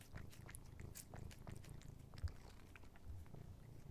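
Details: Male pet cat, indoors, happily licking a Dreamies creamy stick treat. Rapid wet licking clicks and smacks run over a soft, low, pulsing purr, with one louder click near the middle.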